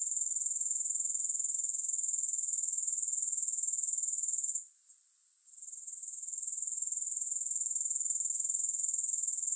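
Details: High, sizzling grasshopper chorus with steady pulses near four per second, interrupted by a one-second lull midway before resuming; no music or voices.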